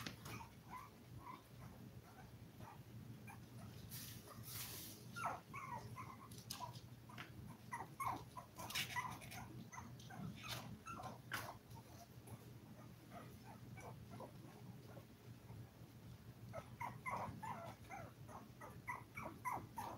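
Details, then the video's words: Five-week-old Toy Poodle puppies, a litter of seven, whimpering and squeaking indoors: short, soft, high cries scattered through the stretch, with a few louder rustling bursts and a steady low hum. "Toy Poodle Puppy 5 Weeks"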